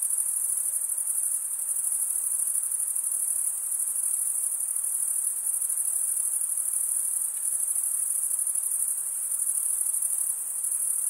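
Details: Crickets in a summer forest at night give a sustained, very high, buzzy trill. The chorus is uniform and finely pulsed, with small swells and lulls in loudness and nothing else audible.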